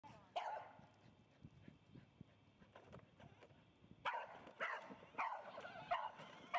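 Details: A dog in a street race against a girl, both riding quads, gives a single sharp bark near the start, then after a quiet stretch a quick run of several yelping barks, over low steady background noise.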